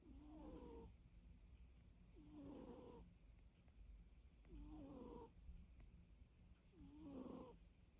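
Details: Sleeping cat snoring in steady rhythm, one nasal, whistly snore roughly every two seconds, each with a wavering tonal squeak over a rough low rasp, four snores in all, quiet breathing between and a faint steady hiss behind.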